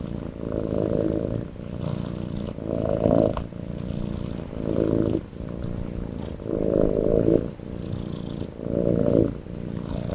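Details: Loud snoring from a sleeping kitten: low, rough breaths rise and fall in regular bursts about every second and a half to two seconds, with a soft continuous rumble between them, in a quiet room.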